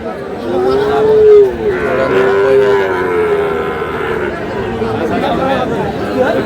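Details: Sahiwal breed bull calf at a sale near Comilla on 21 February 2026 gives two rising-then-falling moos in the first three seconds, followed by a busy background of haggling voices and chatter.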